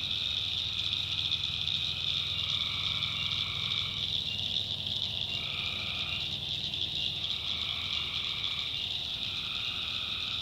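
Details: Tree frogs in a North Carolina swamp at night trading trilled calls in overlapping bouts, some a few seconds long, with short gaps between them, beneath a steady shrill background hum.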